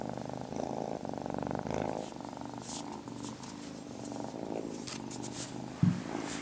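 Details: Tiny male kitten Marmalade, fascinated by water, purring indoors; a deep, steady rumble that eases after two seconds, with scattered soft rustles and a sharp thump near the end.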